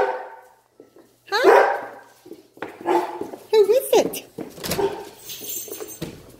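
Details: Two excited male Great Danes whine and bark in greeting as their owner comes home after a long day at work, while a person talks to them.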